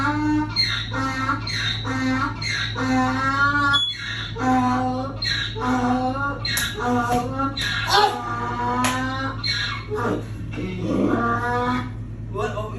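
A donkey brays in a rapid series of harsh, rasping hee-haw syllables over a steady electrical hum.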